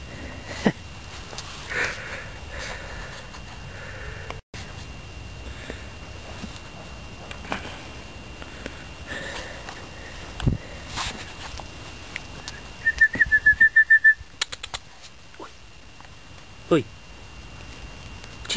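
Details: Berty, a 12-week-old West Highland White Terrier puppy romping in a garden, sniffs in a quick burst of short, sharp nasal puffs near the end, after scattered soft rustles over a quiet background hiss.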